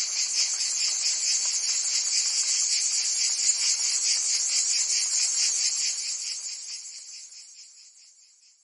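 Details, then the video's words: Summer cicada chorus in Provence, France: loud, unbroken high buzzing with quick regular pulses, then fading out toward the end of the recording. "Cicadas singing in France (Provence)"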